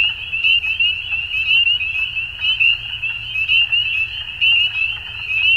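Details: Dusk chorus of frogs: piercing high trills layered together, loudness surging and easing in uneven pulses roughly once a second, a low soft rumble in the background.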